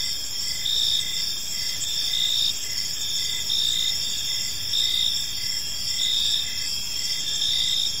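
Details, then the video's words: Dense chorus of crickets in a park at evening, high and shrill, a near-continuous trill with faint regular pulsing, several overlapping callers. "Cricket Sounds in a Peaceful Park"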